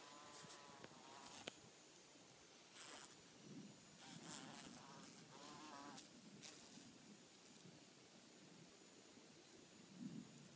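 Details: Bees filmed while mating, giving short droning buzzes in bursts of a second or so, some layered with a higher whine, between gusts of wind noise.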